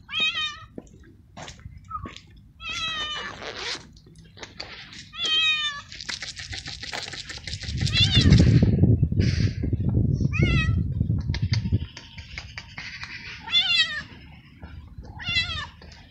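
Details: Stray male cat in heat, living alone in a garden, meows repeatedly and loudly for a mate and for food; a fast series of short cries, with a few seconds of loud rustling noise in the middle.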